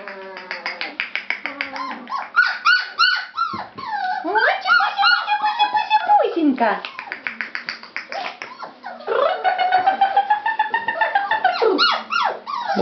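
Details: Fawn-coloured Labrador Retriever puppies, several together, indoors: a dense tangle of high, rising-and-falling whines and short yelps, overlapping rapidly throughout, with faint voices in a small room.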